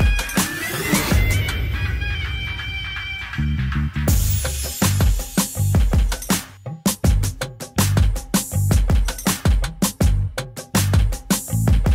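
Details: Drum-and-bass style electronic music with heavy bass, fast punchy drums and sharp percussive hits throughout; no animal sounds.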